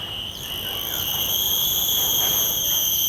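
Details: Common cicada calling, captured in the field with shotgun microphones and a Zoom F3 recorder: a loud, sustained high whine broken by quick downward-sliding flicks about every half second, steady and insistent.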